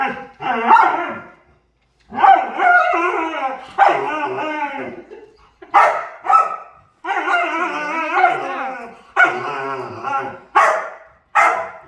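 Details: Dog vocalizing while playing: drawn-out, wavering, harmonic whines and howl-like 'talking' in bursts of one to two seconds, separated by brief silences, with several sharper yelping notes near the end.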